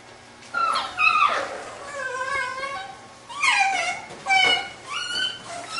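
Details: Labrador retriever puppies of a B litter at play indoors, giving high whining and yelping calls that rise and fall in short bursts, with quiet gaps between them.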